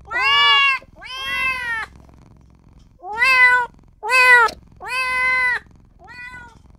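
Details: Newborn kitten calling for its mother and owner with six plaintive meows, some drawn out and rising, the final one fainter, in a quiet indoor setting.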